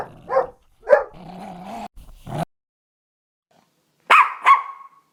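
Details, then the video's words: Dog sounds from a mixed-breed barking compilation: a few separate barks with a low droning tone between them, a long silence, then two sharp high-pitched yelps. "51 Cachorros Latindo - Som de Latido de Cachorros Variados"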